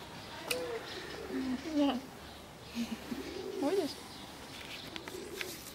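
An alpaca gives soft, low, cooing hums that bend up and down in short phrases.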